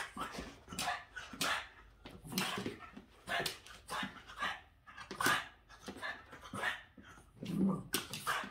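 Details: Agitated Boston Terrier Yoda reacts to the window cleaner with repeated short, rough barks mixed with panting and whimpering, the outbursts spaced roughly once a second.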